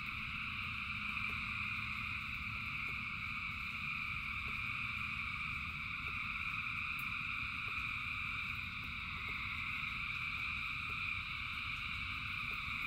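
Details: Thousands of frogs singing in rain form a dense, unbroken chorus of steady layered trilling tones, over a low rumble of rainfall and faint regular ticking drips.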